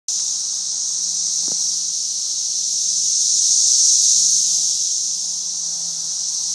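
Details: Cicadas of a brood emergence at its peak, swarming a tree in mid Missouri, make a dense, continuous high-pitched hissing drone that swells gently in loudness toward the middle and then eases back.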